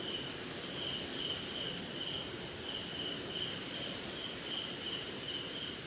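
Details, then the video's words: Rainy-night crickets in India: shrill continuous high trill with clear lower chirps pulsing in short regular groups, over grainy low hiss. "Cricket & Swamp! Forest Sound"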